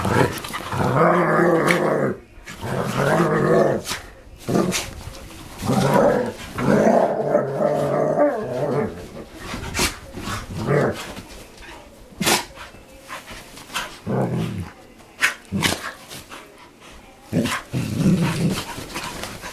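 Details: Dogs playing and making funny noises: long, rough, harmonic growls rising and falling in bursts of one to two seconds, repeated many times, separated by short clicks and knocks.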